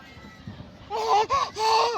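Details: A pet cat at play gives three drawn-out, arching meows in quick succession near the end, after a stretch of quiet background murmur and a person calling its name.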